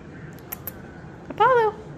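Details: Apollo, a Snow Bengal cat, indoors, gives one short, clear meow of about a third of a second that rises slightly and then tails off, after a few faint clicks in a quiet room.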